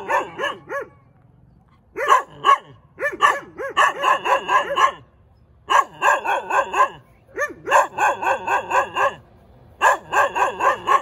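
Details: A cute dog barks in quick, high, yappy bursts of three to eight barks, each bark rising then falling sharply, with short silent pauses between the bursts.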